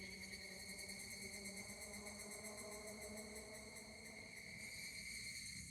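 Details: Higurashi cicada song at Kashima Shrine, Kaname-ishi, Kashima city, Ibaraki, Japan, 12 August 2024; sustained piercing tone with a rapidly pulsing shimmer in the highest overtones, plus a lower hum, ending abruptly.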